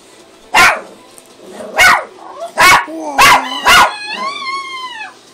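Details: A hungry female pet dog making her typical noise indoors: five sharp, loud barks about a second apart, then a drawn-out, wavering whine that rises and falls before fading.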